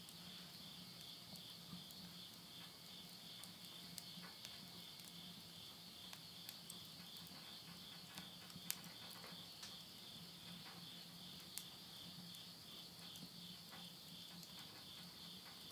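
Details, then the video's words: At midnight in September 2020, insects of the Japanese countryside at Yurihama, Tottori, keep up a constant high shimmering drone while burning wood in a stove ticks and pops irregularly throughout, over a faint low hum. "the voice of insects"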